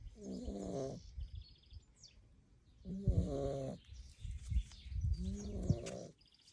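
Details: A Staffordshire Bull Terrier puppy, fast asleep after playing hard all day, snores in deep, buzzy rattling breaths, each lasting about a second.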